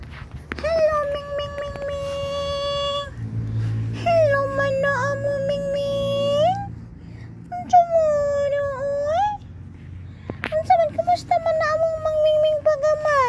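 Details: Three little kittens give long, drawn-out steady meows lasting one to three seconds each, four cries in a row separated by short pauses, with a low room hum underneath.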